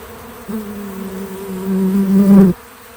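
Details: A bee at a feeder gives a steady, low wingbeat buzz that swells louder for about two seconds, then cuts off.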